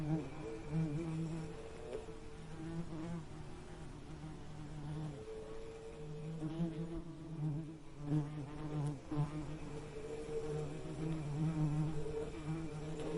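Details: Bees buzzing: a continuous low droning hum with gently wavering pitch and steady loudness throughout, no other clear sounds.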